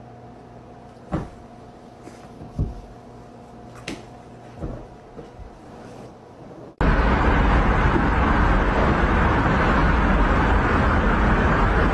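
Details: A few knocks and clicks in a quiet room, then a sudden loud rushing rumble like a vehicle; no animal is heard.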